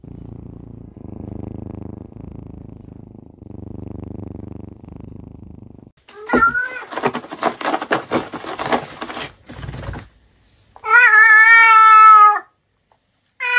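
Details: Cat from a Douyin compilation purring in low rhythmic pulses for about six seconds, then rustling and handling noise, then one long drawn-out meow near the end.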